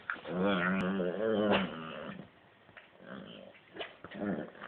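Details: Playful growling from an Italian greyhound: a strong rumbling growl over the first couple of seconds, then quieter broken growls and soft huffs in a small room.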